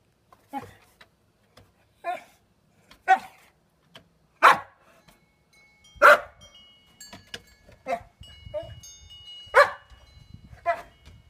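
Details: Titan, a nearly nine-year-old Boxer dog, barking while chasing reflections; about a dozen short, uneven barks and yips spread over eleven seconds, some louder than others, with faint tonal chime-like hums in the background.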